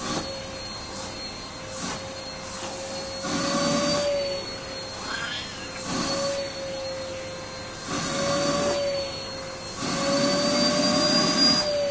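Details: Whining, rising and falling vacuum cleaner drone indoors with bits of speech and no audible animal.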